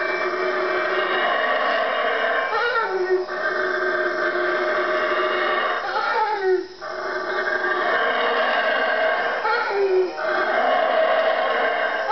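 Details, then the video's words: Sustained deep, raspy roaring from four wild howler monkeys in the Guatemalan jungle at 3am. The chorus runs almost unbroken, with short breaks near three, six and ten seconds. "howler monkey 3am wake up call"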